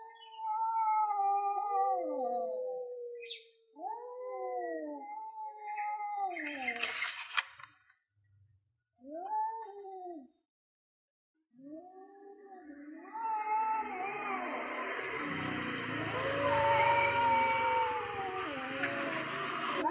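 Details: Two male cats, one orange and one grey, yowl at each other before a fight as the orange cat defends its land. Wavering, falling moans come in short bursts with pauses, then grow louder and rougher, with hissy noise toward the end.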